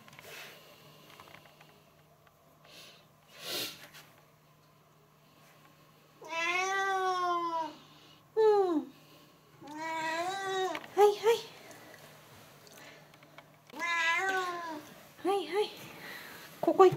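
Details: Stray cats quarrelling, a recent frequent occurrence: long wavering yowls with rich harmonics, rising and falling, in several drawn-out bouts between quiet gaps, ending in shorter sharp cries; faint background hum.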